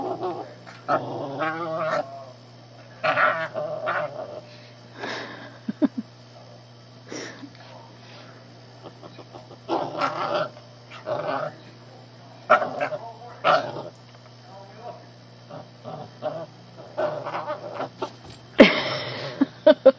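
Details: Playful shih tzu puppy pestering the family cat, which doesn't seem to mind: a run of short, squeaky growls and yelps, closely spaced then sparser, ending in a louder scratchy burst, against a faint steady hum.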